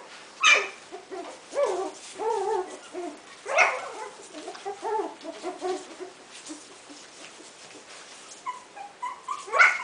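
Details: Coton de Tulear puppies at four weeks old give high, thin whimpers and squeaky yelps, several short overlapping cries scattered through the clip with brief louder peaks.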